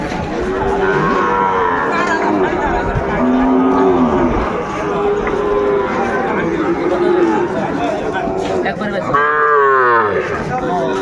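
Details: Sahiwal bull calves at the traditional Ambari cattle market near Dhaka, Bangladesh, on 8 May 2024 during trading: several drawn-out, low, wavering moos overlap through the clip, with a louder harmonic-rich bellow near the end and crowd chatter behind.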